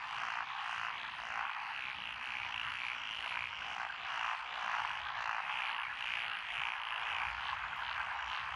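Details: Lotus paddies in Echizen, Fukui, Japan, June 12, 2021, full of calling frogs, among them Japanese tree frogs, black-spotted pond frogs, wrinkled frogs, Schlegel's and forest green tree frogs; bright, dense rasping croaks in rolling waves.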